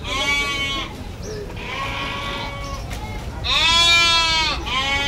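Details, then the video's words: Goat bleating while being bathed at the permanent pen of the Gabtoli cattle market, Dhaka, on Eid morning; loud, wavering harmonic bleats in three long bursts, the last the strongest, with market chatter and crowd noise behind. "ছাগল ডাকছে, ওই যে গোসল করানো হচ্ছে, ওই যে ডাকছে।"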